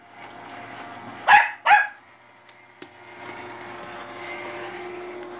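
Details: Manbok-i, a Bichon Frise, barking at a robot vacuum cleaner: two sharp, loud barks in quick succession about half a second apart, then quiet, with the steady whirring hum of the robot vacuum running throughout.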